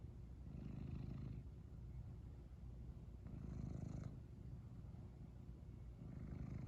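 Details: A cat roused from sleep keeps up a steady deep purr, its rumble growing stronger in two broad pulses with a soft hissing edge as it breathes.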